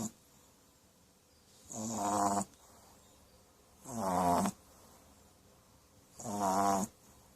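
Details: A puppy asleep and snoring: three drawn-out, rattling snores with rich layered tones and airy hiss, spaced about two seconds apart against near silence.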